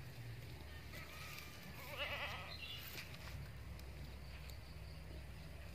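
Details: One wobbling, vibrato-rich bleat around the middle from a female Etawa crossbreed goat (Bety Kros bor) kept as a breeding candidate; steady low hum and faint background noise fill the rest.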